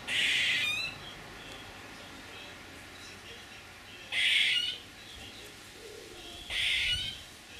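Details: Squirrel making three loud, scratchy, hissing calls under a second long, the first near the start and the others about three and two seconds apart.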